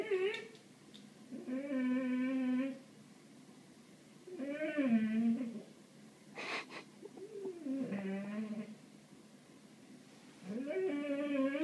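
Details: Ralph, a house cat fixated on birds, lets out a series of about five stretched, nasal meows with wavering pitch. A single sharp click sounds midway through, in a quiet indoor setting.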